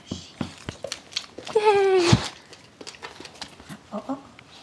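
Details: Adult dog Jersey Girl meets a 5-week-old puppy; one loud drawn-out whine slides gently downward for about half a second, surrounded by clicks, pattering and soft Swedish voices.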